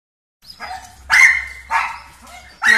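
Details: Rescued one-year-old female dog, sociable with males, females and small dogs, gives a short run of sharp, harmonic barks: a soft first yelp, then three louder barks roughly half a second to a second apart.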